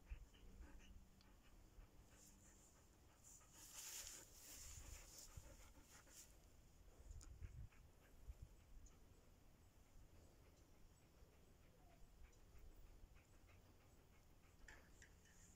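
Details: A female Siberian Husky pants in rapid, breathy, uneven bursts with occasional soft whimpers, over low background rumble.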